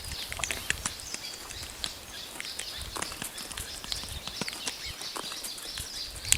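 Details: Spotted hyenas crunch buffalo bones at a kill after lions had eaten their fill, with sharp irregular cracks and snaps over a steady insect hum.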